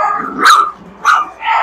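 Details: Three-week-old puppies in a rescue kennel give three short, high, bright yips in quick succession, barking and growling at the person, over a steady hubbub of hyped kennel dogs.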